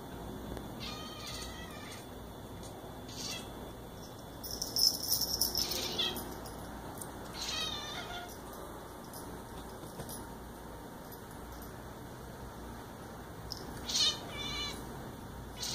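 A Bengal cat gives short, high chirps in scattered bursts, with a steady faint hum behind.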